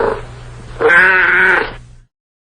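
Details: A single drawn-out cat meow, flat and nasal, lasting nearly a second after a faint shorter call, over a low steady hum, then silence.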